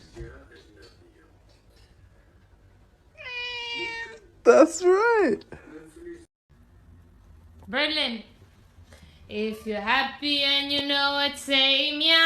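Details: Domestic cat meowing repeatedly while a person talks and sings to it, with bending, wavering meows in short bursts and a final stretch of loud sustained vocalizing.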